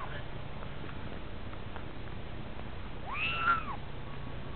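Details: Munchkin kittens in a hamster playpen indoors give a single arched, falling meow late on, after a quiet stretch with faint room noise.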